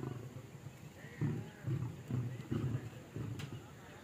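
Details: Lions being fed on safari give a run of short, deep grunting snarls, roughly two per second after a quieter opening, over a low background rumble.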